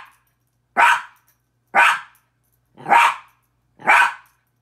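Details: Four sharp, bright barks from a Miniature Pinscher reacting to his own reflection in a mirror, evenly spaced about one second apart, each short and clipped, with silence between.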